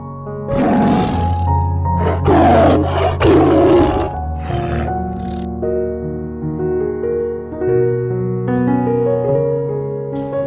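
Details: Tiger roar, described as a warning to other animals or a call to a mate: a series of harsh, gravelly bursts over about five seconds, the last shorter, with instrumental music continuing underneath and afterward.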